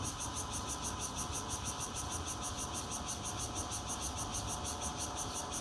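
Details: Bear cicada chorus heard from a fourth-floor home in Zhongli, Taiwan, 16 June 2013, recorded by Nokia Lumia 820; rapid regular pulsing of a piercing high drone, roughly three beats per second, with constant low rumble beneath.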